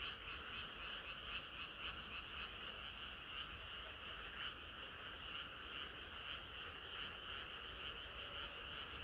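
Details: Frogs singing together on a hot summer night, a dense continuous chorus of overlapping croaks with bright energy in two bands, steady and unbroken throughout, with no single caller standing out.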